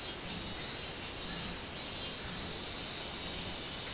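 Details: Short burst of minmin cicada on 24 July 2016, summer: quick throbbing high-pitched pulses, roughly one beat every half second, laid over an even insect hiss.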